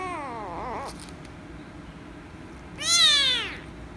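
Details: Angry rescue kitten meowing loudly when petted: a softer wavering, falling meow first, then after a pause a louder, strained meow that sweeps down in pitch, in a quiet room.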